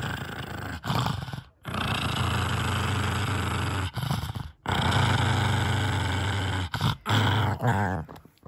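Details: Kongzwi, a six-year-old female pug, growls fiercely while guarding a bone treat. Long, low, rumbling growls are held for several seconds each and broken by short pauses and brief snorting breaths.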